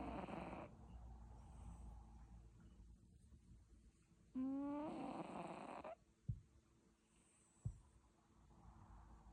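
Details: Snores from a sleeping cat. A rough breath opens the recording, a long humming snore with an upward-sliding tone follows mid-way, and two sharp soft clicks come after it in the otherwise quiet room.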